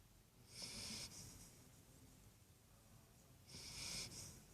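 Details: A little Great Dane puppy snores with soft, hissing breaths repeating about every three seconds, while lying beside its owner.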